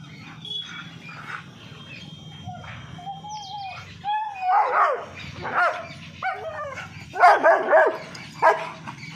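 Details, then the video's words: Dogs, a German Shepherd facing two Labradors, in an aggressive, angry encounter: after a steady low hum, short whining yelps with bending pitch, then bursts of sharp barks and yips crowded into the last few seconds. "german shepherd v/s 2 Lebrador"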